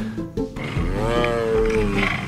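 A cougar gives a long, wavering, strained cry that rises slightly and then sags, over soft music.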